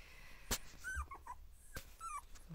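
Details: Border Collie puppies, two weeks old, playing together for the first time: short falling whines and yips between sharp knocks and clatter, in a small indoor space.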